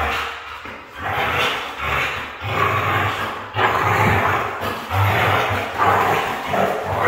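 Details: Red female Siberian husky producing a run of rough, grumbling, roar-like vocal bursts, each around a second long with short gaps, in a steady string over seven seconds indoors.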